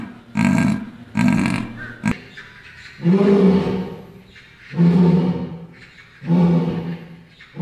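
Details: Zoo animal giving deep, throaty grunts: two short rough bursts, then three longer, moaning grunts with clear low harmonics, spaced about 1.5 seconds apart.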